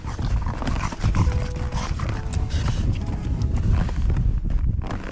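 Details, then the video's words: French Bulldog begging for sushi, making dense, rapid snorting and grunting breaths throughout, with a couple of brief thin whines in the middle. "How does the French bulldog beg for sushi?"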